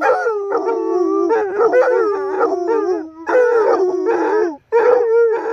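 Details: Basset Hounds, reunited a few days after their mother died, howl together in sustained, quavering, mournful notes that slide and wobble in pitch, with brief breaks between harmonic-rich phrases; the owner thinks they knew she had died.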